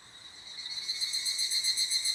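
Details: Evening cicada heard near an abandoned toilet, its shrill, ringing call building from quiet to loud in steady, fast metallic pulses.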